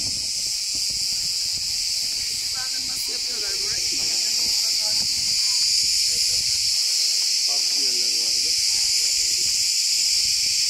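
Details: Forest cicadas in Turkey in a deafening concert, their shrill continuous buzz holding steady without pause, with faint low human voices murmuring underneath.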